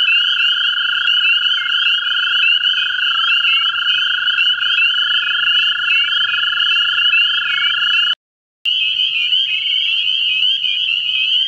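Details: Mate-seeking American toads at a central Ohio vernal pool give a long, continuous droning trill, overlaid by a dense, shrill chorus of quick upslurred peeps; a brief silent gap comes near the end.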